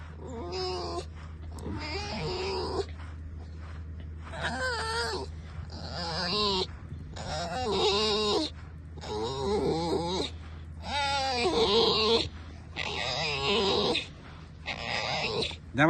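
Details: Tame red fox squeaking while its owner pesters it, a run of strained, wavering squeaky cries in bursts about a second long, separated by short pauses, over a steady low hum.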